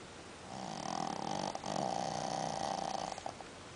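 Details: Sleeping dog giving one long, steady snore of nearly three seconds, hoarse and buzzy with a held middle tone, briefly broken partway through, heard over faint room noise.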